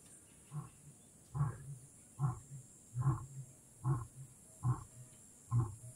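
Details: Lion heard in the wild at Kgalagadi Transfrontier Park, giving a steady series of seven deep, grunting pulses a little under a second apart, each short and booming, with a quiet open-air background.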